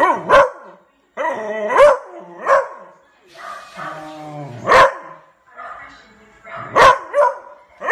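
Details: A Beagle puppy gives sharp, loud, fierce barks with bursts of howl-like yelps between them, apparently reacting to the neighbour's barking dogs.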